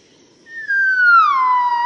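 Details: Yellow-cheeked gibbons singing at dawn as a family in Cat Tien National Park, Vietnam, March 2013: a single long pure whistle gliding smoothly downward and levelling off.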